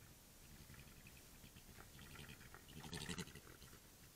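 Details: European badgers mating in Ireland, recorded on a trail camera, give low, rough grunts and churring bursts that rise to a louder squeal.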